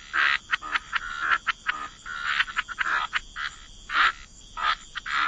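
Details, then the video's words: Frogs croaking in chorus at a wetland waterside: harsh, buzzy croaks in short bursts of uneven length, overlapping and irregular, with brief gaps between calls and a steady high background hum. "Relax to the Sound of Croaking Frogs"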